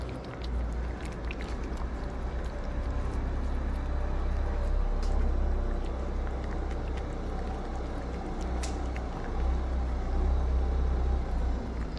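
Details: Steady low rumble of passing vehicles on a Moroccan street, with faint scattered clicks and no animal voice standing out.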